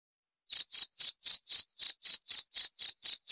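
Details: A cricket starts after half a second of silence, then gives a run of evenly spaced, shrill chirps about four times per second. The background is clean with nothing else audible.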